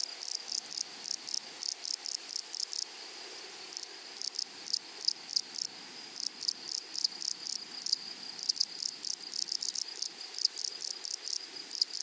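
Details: Grasshoppers of a flowery meadow rasp in uneven groups of crisp pulses, a short lull near the start, then busy bursts again over a steady high-pitched insect drone.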